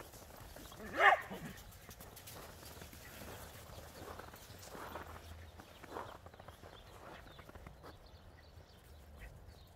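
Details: Border Collie and Jack Russell Terrier playing chase outdoors in the snow; a single loud, sharp bark rings out near the start, followed by quieter scuffling movement and faint muffled sounds over a calm outdoor background.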